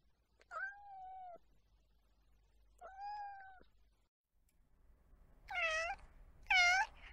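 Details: Domestic cat meowing indoors: two long, level, clear meows a couple of seconds apart, then two shorter, brighter, bent meows in quick succession near the end, with quiet background between calls.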